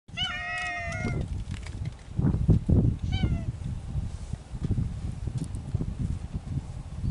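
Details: Feral mountain cats courting in spring: one long, level meow lasting about a second, then a short second meow, followed by several seconds of rustling and low rumbling background noise.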